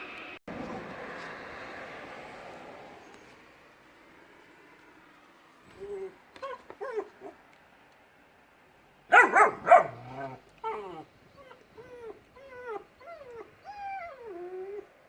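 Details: Two dogs, Shira and Enzo, a puppy and an adult, playing in a yard and filmed on a phone. Rustling noise opens, then high whiny yips, a loud burst of sharp barks, and a run of falling yelps roughly once per second.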